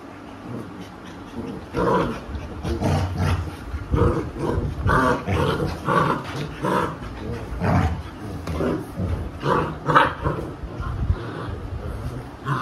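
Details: Alexa, a Labrador Retriever mother, disciplines her unruly puppies as they scuffle in a lap. Rapid bursts of low growls and short sharp yaps repeat through the scene, with a man's voice briefly audible.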